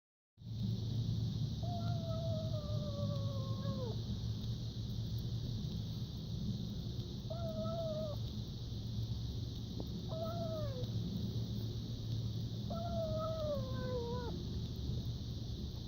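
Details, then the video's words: A hungry stray kitten at its first feeding outdoors gives drawn-out, slightly falling mews, spaced a few seconds apart, over a low hum; the feeder thinks it sounds happy. "Stray kitten makes cute noises during first feeding"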